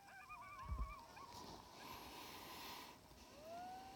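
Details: Pack of sixteen timber wolves at roughly 700 yards on a hillside in Wrangell-St Elias National Park, southeastern Alaska, in September 2018, phone recording through a spotting scope. Layered wavering howls, a short thump, then one long rising howl near the end.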